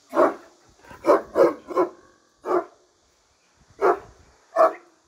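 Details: Turkish Great Dane behind a barrier barking: deep, hoarse barks in a quick burst of four, then single barks at intervals, seven in all, with short silences between.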